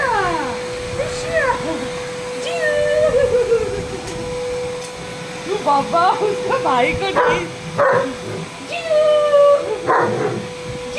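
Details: Male double-coated working-line German Shepherd reacting to a running vacuum cleaner indoors: repeated sliding, falling whines and short yelping cries over the machine's steady drone, with a person talking in between.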